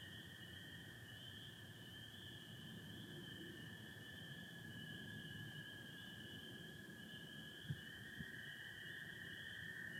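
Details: Dense spring peeper chorus mixed with American toads in Michigan, 24 April 2025, stars overhead and some cloud: continuous high peeping band and a sustained lower trill, with two sharp knocks near the end over a low rumble.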